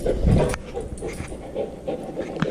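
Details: Dog panting on an off-leash hike, where a dark sable German Shepherd chases a female Labrador in heat; quick rhythmic breaths come roughly every third of a second, with faint rustling behind.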